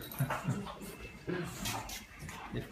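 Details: A French Bulldog gives short, breathy whimpers and yips in quick, uneven, excited bursts, greeting its owner after weeks apart. A person speaks in the background.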